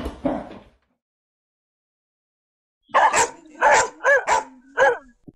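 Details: German Shepherd dog barking: a brief rough sound, a pause, then a quick run of five sharp, bright barks with yelping tones and a low whine, close and clear.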